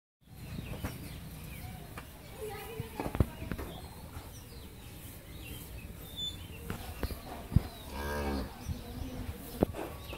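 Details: Friesian Mundi dairy cow that has just calved for the second time, kept with her heifer calf on a farm in Pabna, Bangladesh, gives one deep harmonic moo near the end amid farmyard clatter, scattered knocks and brief human voices.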